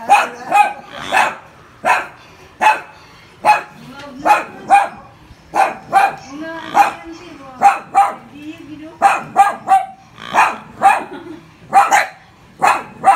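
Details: Small poodles that are scared of a pig keep up steady high-pitched yapping, single and doubled barks roughly every second, with brief low murmuring sounds in the gaps.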